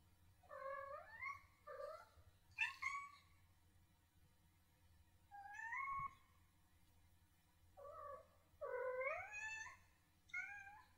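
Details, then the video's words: Kitten chirping and trilling, a call meaning 'come here' to people or other cats; about six bursts of rising, chirruping meows, some doubled, separated by short pauses, over a faint steady low hum. "Kitten Chirp, Chirrup, Trill"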